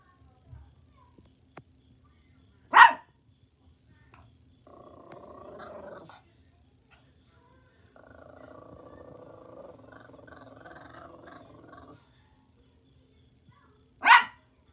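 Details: Morkie dog giving two single, sharp, loud barks about eleven seconds apart, with a steady buzzing hum running between them.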